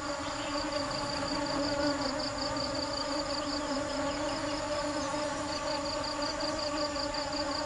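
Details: Honey bees foraging for nectar make a steady, droning buzz with layered humming overtones that runs without a break, along with a faint high, pulsing whine.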